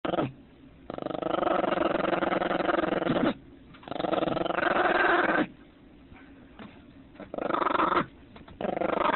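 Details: Angry female puppy growling after someone tried to take her bone: long, rough, low growls lasting two to three seconds each, broken by short pauses, about four bouts in a row.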